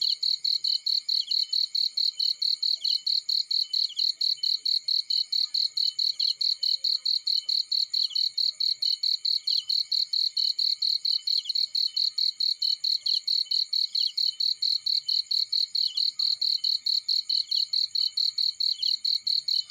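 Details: Field cricket chirping on and on, crisp high pulses of even loudness about two per second, with a soft steady buzz of other insects underneath.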